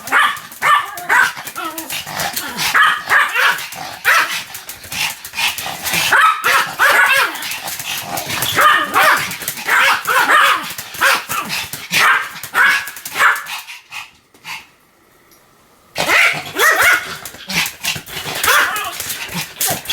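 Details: Continuous barking by Sam, a Pomeranian: dense, rapid, high-pitched yapping sustained for most of twenty seconds, briefly breaking into silence near the fourteen-second mark before the barks resume just as fast.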